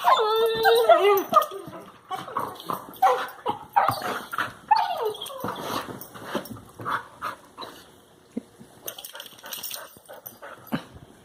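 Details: Two Labrador Retriever puppies playing with each other in a living room yip, whine and grumble in quick, uneven bursts; recorded 2 March 2018.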